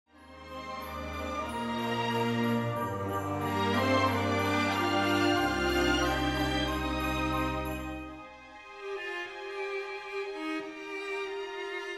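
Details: Orchestral music with sustained low tones and bright jingling bells fills the passage, fading to a quieter string phrase; no animal voices are heard.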